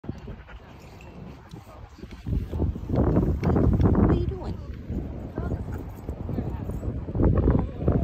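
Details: A female Golden Retriever grumbles and groans in low, throaty bursts, her way of asking for butt scratches, while a person talks.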